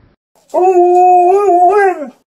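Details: An Alaskan Malamute, a female, frustrated while playing with a basketball she cannot bite, gives one loud sustained howl of about a second and a half, steady in pitch with a slight wavering rise near the end.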